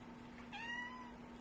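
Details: Adopted male house cat whining at the door, wanting to get out after play stopped: one drawn-out, slightly rising then level meow about half a second long, over a steady low household hum.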